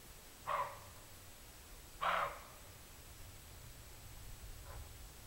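Two loud, harsh barks from a roe deer break the quiet, each short and rasping, spaced about a second and a half apart. A much fainter bark follows a few seconds later over a low background rumble.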